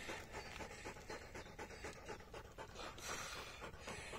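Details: Hektor, a Polish Hunting Dog, pants hard after a 22.5 km bike ride in hot weather: fast, breathy huffs in a steady stream, roughly four per second, with no voices over them.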